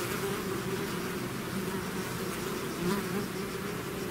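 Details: Many bees of a swarm outside their hive hum together in a constant buzzy drone, a nearby flier briefly louder just before three seconds.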